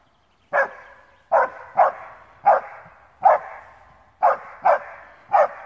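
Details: Alpine Dachsbracke, a male, baying at wild boar on his first meeting with pigs, barking for roughly half an hour. Eight forceful barks in uneven bursts, every one followed by a lingering reverberant tail.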